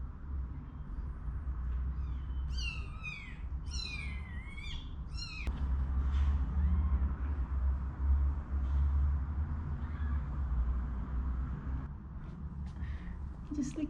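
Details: One-day-old kittens, sheltered at home with their mother from a snowstorm, cry in a rapid run of arched, piercing mews early on, then fall mostly quiet beneath louder low rumbling noise and a few faint later squeaks.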